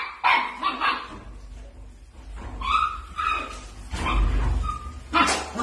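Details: Miniature dachshund playing, giving yipping barks mixed with drawn-out high whines, spaced irregularly, with low rumbling noise beneath.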